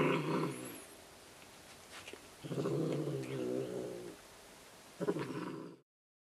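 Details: Angry domestic cat worked up over a toy, giving a long low rumbling growl, then a second sustained growl and a short final burst before silence.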